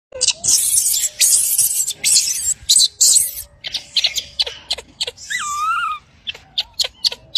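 A baby monkey cries with thin, wavering high squeals after a stretch of loud rustling and scraping.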